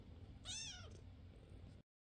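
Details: A single bright, arching meow from an indoor foster cat, filmed May 22, 2024, in a home with adult foster Basil and young fosters Oodles and Zimothy, followed by quiet room hum before it cuts off.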